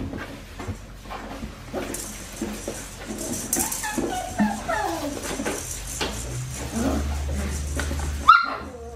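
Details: Winnie's Australian Shepherd pups at 4 weeks 5 days, picked up by a nursery camera, give a run of thin wavering squeals midway through, rising and falling in pitch, amid shuffling, a low droning rumble and a sharp knock near the end.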